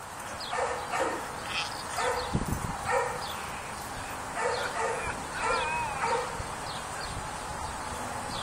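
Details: A neutered two-year-old rough coat Jack Russell Terrier named Scamp barks while playing tug. Bursts of gruff barking come in clusters roughly every second, some with whiny, rising overtones, and there are brief thumps.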